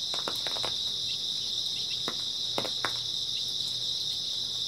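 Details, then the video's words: Early autumn night chorus of grass insects: an unbroken shrill high trill that never pauses, overlaid by occasional faint ticks and light tapping sounds. "초가을 밤부터 새벽까지 백색소음 풀벌레 소리"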